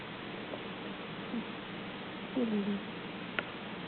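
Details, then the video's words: Pet cat snoring while dreaming, then letting out puppy-like whimpers: a faint low snoring background, a short squeak near the start, then a longer wavering, slightly falling whine, and one sharp click. "Snoring Cat Whimpers Like A Puppy While Dreaming"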